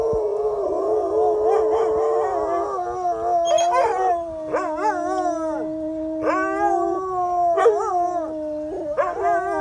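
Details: Several dogs howling together as fire trucks drive by, long overlapping tonal howls holding steady then breaking into rising and falling wavering notes, with short yips mixed in and a faint high siren-like tone running through.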